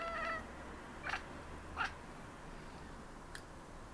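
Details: Three Maine Coon cats chatter at city birds: a short harmonic meow, then sharp clicking chattering bursts at irregular intervals, with croaky backing calls, over a quiet indoor background.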